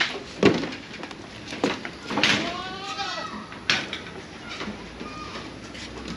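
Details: Pet goat kept by a household that also keeps a mother goat and her kid: one quavering, wavering bleat lasting about a second midway, surrounded by sharp knocks and clicks, soft background music and a faint voice.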